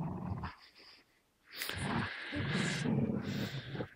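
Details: Gerundio, an American Staffordshire Terrier, and Baloo, a Beagle, grip a fabric toy and hold each other's gaze while contesting it. A short growl is followed by a pause, then a long, rough, sustained snarling growl.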